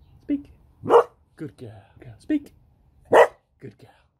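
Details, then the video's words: Female beagle barking when her owner says 'speak'. Two loud, sharp single barks stand out about two seconds apart. A person's voice gives commands and praise between them, and there are a few softer vocal sounds. "7 Cute Beagle Barks!"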